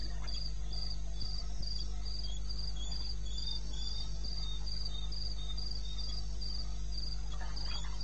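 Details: Wild cricket calling in the wilderness of eastern Botswana at 2:30 AM, 21 May '16. High, thin chirping pulses repeat steadily, roughly four each second, over a constant low droning hum, with a few faint clicks.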